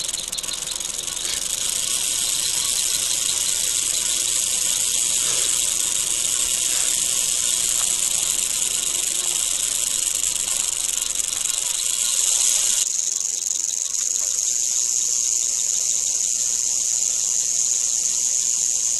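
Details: Eastern diamondback rattlesnake, Crotalus adamanteus, encountered wild in Florida during field herping: a continuous sizzling, high buzz holds for nearly twenty seconds, shifting abruptly in tone partway through, with faint low rumbling beneath.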